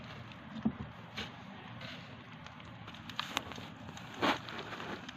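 A hamster nibbles dry seeds, making soft, irregular crackles and sharp little crunches over a quiet background hiss.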